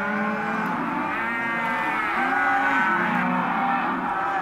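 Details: Hereford and black-faced crossbred calves at an auction lot, many animals calling at once: overlapping drawn-out moos and bawls, some rising then falling, forming a continuous dense chorus with no pauses.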